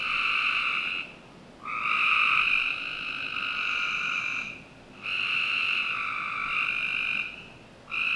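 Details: Backyard frog chorus on a summer night in Northern Virginia, with long, droning, buzzy trills lasting up to two seconds, separated by brief gaps and overlapping from more than one caller.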